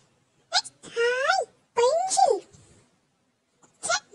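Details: Persian cat named Little Tiger giving two drawn-out, tonal meows, each rising then falling over about half a second, bracketed by short clicks and a brief sharp sound at the end in a quiet indoor space.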